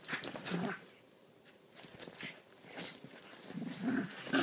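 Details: Two small dogs playing indoors, Lilah a Chiweenie and Minnie a Rat Terrier/Chihuahua mix, usually frenemies; short bursts of low growling and scuffling noises separated by brief quiet gaps.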